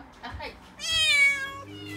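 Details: Calico kitten Mikene, a six-month-old female, panics indoors in Okinawa as a new refrigerator is delivered; one strong, bright meow rising then steady, preceded by soft human speech.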